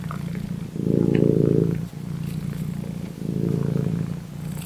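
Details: Pet cat purring, a low continuous rumble that swells louder in two long waves, pulsing fast and steady with a quiet close-up texture.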